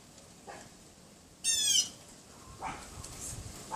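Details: Neighbour's Pomeranian yapping behind a wooden privacy fence outside a bedroom window on a windy afternoon, 6 February 2015, about 3:18 PM; one sharp, high, harmonic yap near the middle, with fainter distant yelps before and after.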